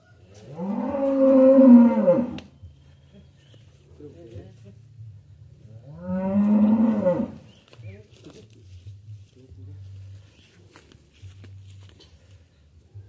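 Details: Sacrificial cattle leave a farmer's pen to be trucked to Jakarta. Two long, loud moos, each about two seconds, bend upward then fall, six seconds apart, between a low engine drone and faint human voices.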